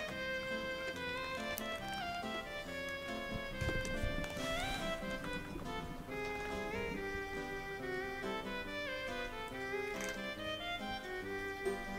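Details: Soft melodic background music plays steadily, with a brief rustle and no animal calls heard.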